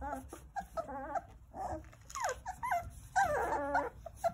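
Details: Nine Jindo puppies at play in their mother's care, giving squeaky whimpers and whines that arch up and slide down, several overlapping in quick bursts, with brief rustling between.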